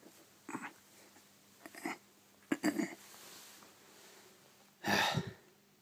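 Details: A lazy male Shiba Inu, refusing to leave his bed even with the door wide open, gives a few breathy, snorting grumbles in short bursts, with a louder huff near the end.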